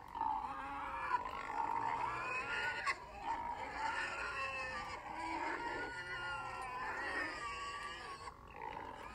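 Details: Pig calls: overlapping, harmonic squealing voices, steady and continuous with wavering, shifting pitch, forming a dense unbroken chorus with only brief dips.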